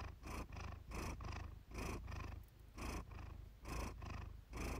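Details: Relaxed pet cat purring close up: low, throaty rumble pulsing in even breaths about once a second, with short quiet gaps between inhale and exhale phases.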